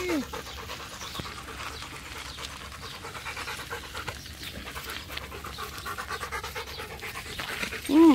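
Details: Rottweiler Macho pants rapidly near his favourite waterhole while playing fetch, a regular rhythm of soft breathy puffs; a man speaks briefly at the end.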